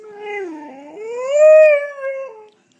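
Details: A 7-month-old female Border Collie 'talks' and 'sings' in a drawn-out, tuneful howl that dips low, then swells upward.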